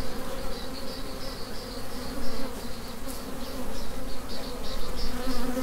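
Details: Honey bee swarm in swarm mode, the workers returning to the original hive after the queen is re-routed; a dense, steady low droning hum of many bees, with faint higher whining buzzes from individual bees passing close.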